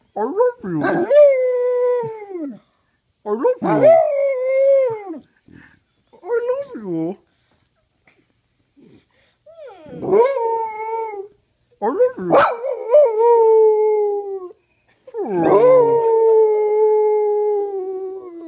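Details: Lazy howling from Penny the dog: about six drawn-out, wavering howls, each bending up then sliding down, separated by short silences, with a voice-like talking quality.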